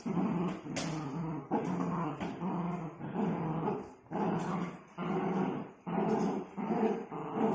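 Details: Pet Miniature Dachshund giving a run of low rumbling growls in short bouts, roughly one per second, each rising and fading, broken by brief gaps between breaths.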